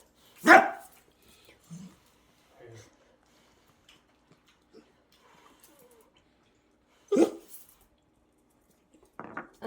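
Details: Pet Dachshund named Rion, a rescued dog, throwing a fit because its warmed food is still too hot to eat: two loud, sharp barks about seven seconds apart, with soft murmurs and small sounds in the quiet between.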